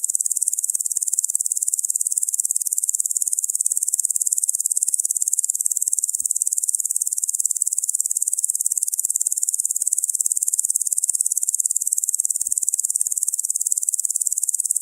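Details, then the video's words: Steady high buzzing trill from a locust, rapid uniform pulses sustained for the whole stretch, with two faint thuds at low pitch. "Locust Sound Effect"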